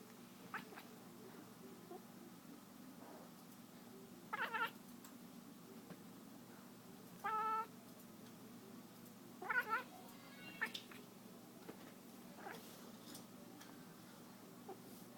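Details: Cat chasing a laser pointer gives a few isolated short chirping calls, spaced several seconds apart, clipped and tonal, over a quiet steady background with occasional soft taps.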